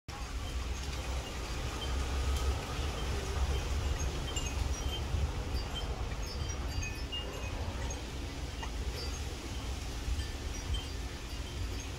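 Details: Wind chimes tinkle over gusty wind and a low traffic hum, with no animal voice.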